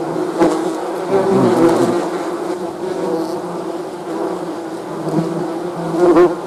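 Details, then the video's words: Bees buzzing: a steady, dense drone with a low hum and a brighter layered buzz above it, swelling and fading as insects pass close, with louder flybys near the start and the end. "Bee's Buzzing"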